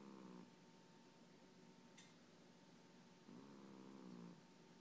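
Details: A pet cat snoring while asleep on its owner's lap; two drawn-out, slightly buzzy breaths about three seconds apart, the second longer, with a faint click in between and a quiet steady hum behind.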